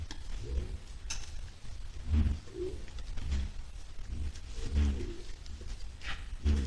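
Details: On 10 July 2022, white-lipped peccaries heading toward a salt lick give deep, hollow grunts in irregular bursts, each a second or two apart.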